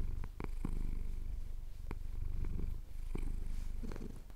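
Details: Close, strong purring from a male cat enjoying a chin scratch at dawn in the Cotswold hills, recorded with a Tascam DR-07X; dense low vibrating rumble with short breath pauses and crisp clicking scratches.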